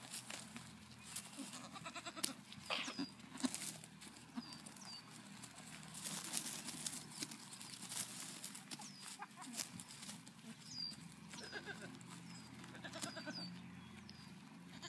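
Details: Nigerian Dwarf goat kids at KW Farms in Wapato, Washington, on 5/8/17, giving short wavering bleats scattered through a steady farmyard hum, with high chirping birds and rustling in the background.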